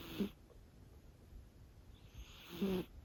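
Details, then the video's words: Five-month-old Scottish Fold kitten with a heart condition, asleep indoors, snoring softly: two short, breathy snorts about two and a half seconds apart over a low, quiet rumble of breathing. "子猫のいびき。Snoring of the cat"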